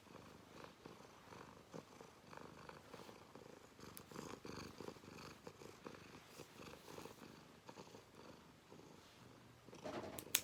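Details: Domestic cat purring indoors while its claws are clipped: a soft, steady, rapidly pulsing low rumble that runs throughout, broken by faint clicks and a louder rustle near the end.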